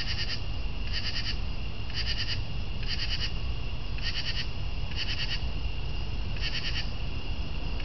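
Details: Northern true katydid giving a steady series of harsh, rasping chirps, each a quick cluster of three or four pulses, repeated roughly every second across the recording, with a low background hum.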